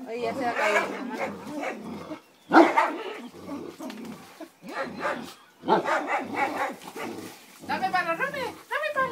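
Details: St. Bernard and Yorkshire Terrier, Simba and Romeo, play-fighting over a toy; bursts of growly, harmonic barking and yelping come in clusters separated by short pauses, with human voices mixed in throughout.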